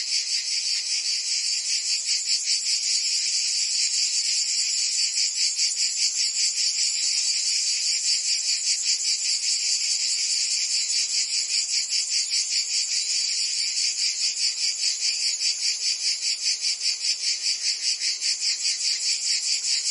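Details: Many cicadas singing together during summer in Provence, France: a loud, sizzling high-pitched chorus with clearly regular throbbing pulses, about 150 per minute, sustained over twenty seconds.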